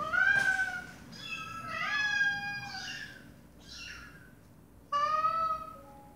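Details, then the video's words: Mother domestic cat talking to her kittens: a series of clear, harmonic meows, some rising then falling, others short and high, with pauses between calls indoors. "Mom Cat Talking to her Meowing Baby Kittens"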